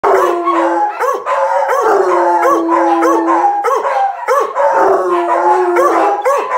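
Bluetick Coonhounds howl together, long steady tones broken by rising and falling bays.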